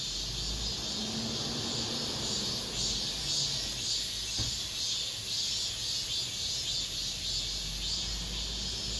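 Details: The summer's last cicadas singing inside an apartment complex: a bright, continuous buzzing chorus pulsing about twice a second, while a low passing hum and a brief knock sound in the background.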